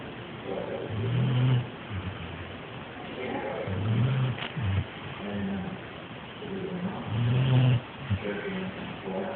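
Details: A sleeping female yellow Labrador Retriever snores in deep, rumbling breaths. Each low, throaty snore lasts under a second and returns roughly every three seconds, with softer wheezy breathing in between.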